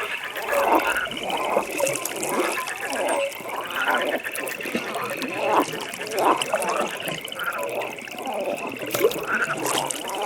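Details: A pond at night with a frog chorus: clustered, harsh croaking bursts rise and fall every second or two beneath an unbroken, high, rapidly pulsing drone, with faint trickling water in the background.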